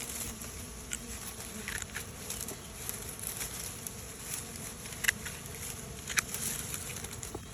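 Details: A continuous low buzzing drone from bees leaving an old hive for a new home, with irregular faint clicks and soft crackling above it.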